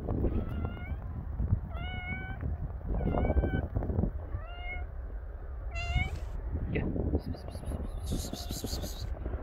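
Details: Stray cats living on the street in snow, cold and hungry, one meowing repeatedly: five drawn-out, slightly wavering meows about a second apart, then a higher short cry, over a low rumbling wind-like background and crunching.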